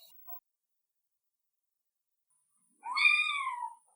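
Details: Single drawn-out cat meow after a near-silent stretch, a rising then slowly falling harmonic cry under a second long, with a faint high tone at the start.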